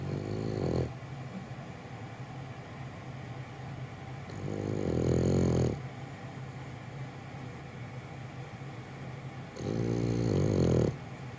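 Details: French Bulldog Gonta asleep while being held, snoring in deep, throaty rattling bursts about one second long, three of them spaced roughly every four to five seconds, with soft breathing and a low background hum between.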